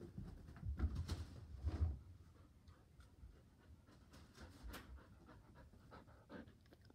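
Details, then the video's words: Border Collie on a couch indoors, eager to play ball, panting in soft breathy bursts, loudest in the first two seconds, then quieter rhythmic huffs in a small quiet room. "GOGOGO! BALLBALLBALL!"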